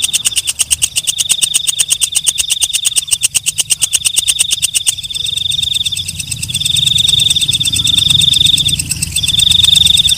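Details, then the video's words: Katydid known locally as walang kecek or belalang malam: about five seconds of fast, sharp ticking with a high buzz, then the ticks stop and long shrill buzzing trills in drawn-out phrases take over. "Suara Walang Kecek/ Belalang Malam"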